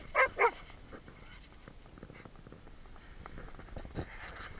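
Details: Golden Retriever giving two quick loud barks at the start, then a quieter yelp near the four-second mark over low room noise.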